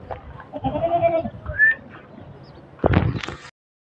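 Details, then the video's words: Beetal goat giving a short quavering bleat, followed by a brief thin rising note and then a burst of rustling noise before silence. "Beetle goat"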